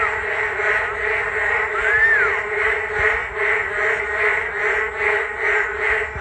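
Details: Frogs chorusing on a rainy day along a walking path beside the Geum River, South Korea: a dense, steady wall of pulsing croaks, swelling and fading about every two seconds, with one brief rising-falling whistle partway through.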